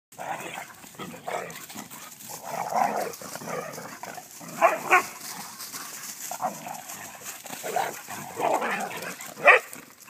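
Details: Three Vizsla dogs after a swim, giving a few short sharp barks near five and nine and a half seconds over a steady rustling, splashing background with mumbled yips between.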